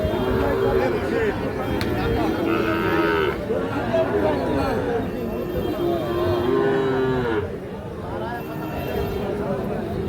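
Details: Sahiwal bull calves at Ambari cattle market, Parbatipur, Dinajpur, Bangladesh, where buyers from Comilla bargain; a few drawn-out, harmonic lowing calls rise above constant crowd chatter and haggling voices.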